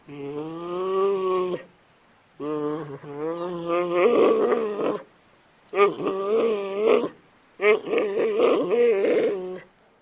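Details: Giant panda bleating loudly in four long bouts, the first steady and tonal, later ones rougher and wavering with a goat-like quaver, separated by short gaps; a constant faint high hiss continues throughout.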